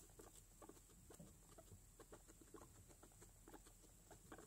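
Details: A guinea pig, a young mother with four newborn babies, makes soft, low clucking, chuttering pulses, several each second in a loose, uneven rhythm, over a faint steady high hiss.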